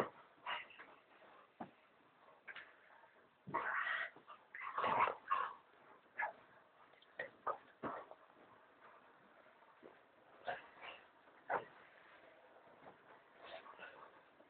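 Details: Indoor recording of a pet American Staffordshire Terrier objecting to its owners lying in bed: a series of high whines, whimpers and short yips, rising and breaking, with pauses between bursts.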